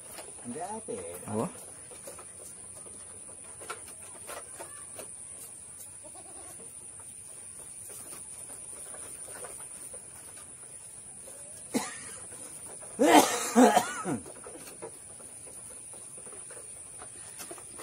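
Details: Goat during a health check, giving a short bleat early on, then a loud, wavering, harmonic bleat near the end, with people talking throughout and faint rural background noise.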